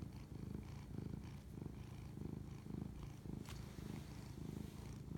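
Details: Domestic cat purring while bonding, recorded at 11:07 pm on March 25, 2019; a steady low rumbling purr that swells and fades in rhythmic pulses with each breath, about every half second, with faint clicks above.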